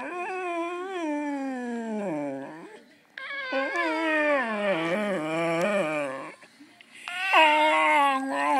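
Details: Ziggy the dog howling in response to an iPhone giraffe app replaying his singing; long, wavering, rich-toned howls that slide down in pitch, in three bouts separated by brief pauses, indoors.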